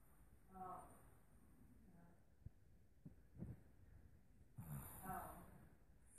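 A Boston Terrier puppy gives soft, muffled whimpers and snorting breaths while dreaming.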